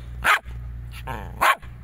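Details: Jack Russell Terrier indoors giving two sharp barks about a second apart, with a softer vocal sound between them and a steady low hum in the background.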